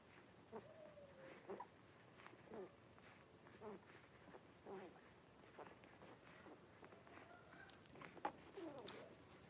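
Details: Five blenheim Cavalier King Charles Spaniel puppies born at New Year, penned indoors with mother Paris in late January 2023; drawn-out thin whines and short yelps come every second or so, separated by quiet rustling.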